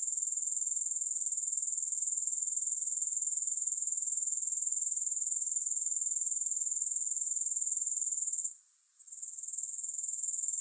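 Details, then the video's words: Grasshoppers in a long sleep-and-relaxation recording with no music: a steady high, thin, pulsing buzz of fast regular chirps, briefly cutting out for about half a second near the end before resuming. "3 Hours of Grass Hopper Sounds"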